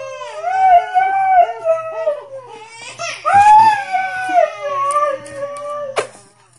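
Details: Siberian Husky named Diesel, sitting beside a crying baby girl in her bassinet indoors, howls in long drawn, wavering tones that rise and fall, joined by whimpers and the baby's crying in a small room.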